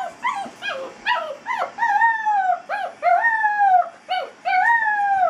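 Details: Eight-week-old basset hound puppy named Molly, in a crate for the first time, howling and yelping: short rising-falling cries give way to longer drawn-out wavering howls, several per second early on, no other sounds.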